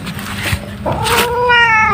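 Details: Pet cat, described as pregnant, gives a drawn-out meow with clear, evenly spaced harmonics over a steady low purring or rumbling background.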